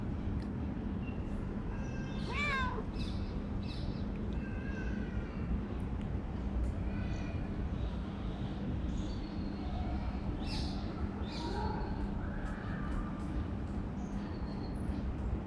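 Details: Friendly calico cat, a female that lives under a workplace and warms up after acting shy, lets out one strong wavering meow early on, then softer chirps and murmurs over continuous low-pitched background noise.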